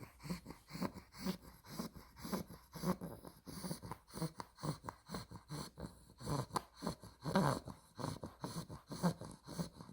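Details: Spaghetti, a female Olde English Bulldog puppy aged 2 months, exotic blue merle tri, snoring in her sleep: rumbling, snorty breaths in an irregular fast rhythm, one louder gurgling snort near the end.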